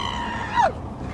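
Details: A rescued former stray pit bull lets out a high, tonal scream that holds steady, then slides sharply downward; he screams leaning out the car window, sometimes at birds, other times wanting attention or contact.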